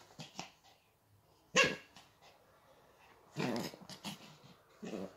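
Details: Chihuahua, a graduate of a Crimean kennel, with a companion dog from Tver; a few short, sharp barks and growly bursts spaced unevenly over five seconds, indoors in a small quiet room.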